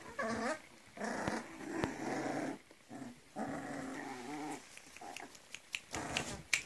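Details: Young Griffon dogs, a 40-day-old litter of three males and four females in Cairo, making rough, buzzy little growls and droning whines in short runs, separated by brief pauses, with soft rustling in a small room.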